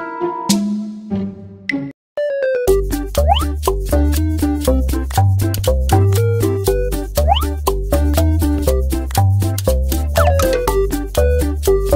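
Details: Bouncy children's-style music with plucked and boing-like effects, with a steady beat and no animal sounds.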